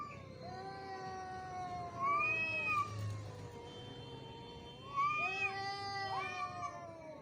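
A domestic cat lets out long, quavering yowls that rise and fall in pitch, each stretching over several seconds. This harsh caterwauling is the aggressive voice cats use when squaring off to fight.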